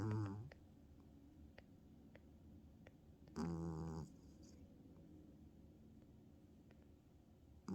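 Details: A sleepy female tabby cat snoring as she lies on her owner in a small room, giving loud raspy buzzing snores about three to four seconds apart with soft breaths in between.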